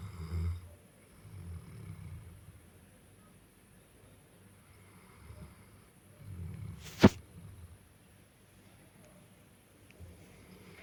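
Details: Cane Corso dog asleep and snoring, low rumbling snores in slow bursts near the start, around six to seven seconds and at the end, with one sharp click-like noise at seven seconds; quiet room otherwise.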